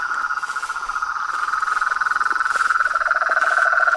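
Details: Frogs, toads and treefrogs calling together: a steady rapid high trill throughout, with a lower pulsed trill entering near the end and rhythmic swells in loudness.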